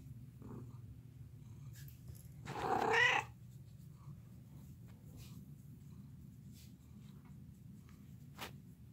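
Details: Low, steady cat purring runs throughout, interrupted midway by one drawn-out, rising and falling meow, with a few soft ticks in the background.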